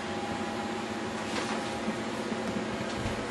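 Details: Steady indoor hum of an appliance in a small room, with no barking or other animal sounds.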